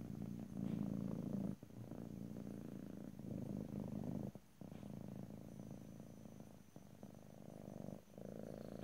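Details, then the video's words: Domestic cat purring in stereo, with no talking: a steady low rumbling purr in pulsing bursts, broken by brief pauses near two, four and a half and eight seconds. "ASMR Cat: Purring"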